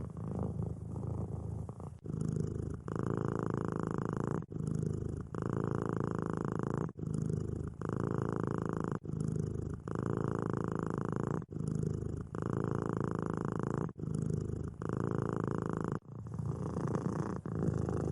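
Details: Cat purring while asleep, a deep buzzing rumble in long stretches of about two seconds, each separated by a brief pause as the breathing cycle turns, repeated steadily throughout.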